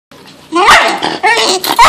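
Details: Echo, a deaf male bull terrier, protesting at being woken up: loud, harmonic moaning and grumbling bursts that waver and rise in pitch, with short breaks between three drawn-out vocal phrases.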